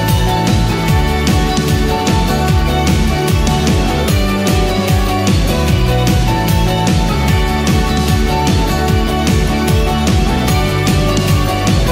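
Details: Loud, driving soundtrack music with dense drums and bright synth chords plays throughout, with no animal calls audible.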